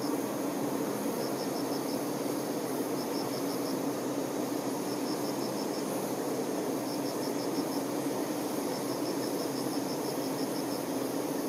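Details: Worker honey bees attending the queen bee, giving a thick continuous buzzing drone with a steady low hum; several brief bursts of high, evenly spaced ticking pulses recur every couple of seconds behind it.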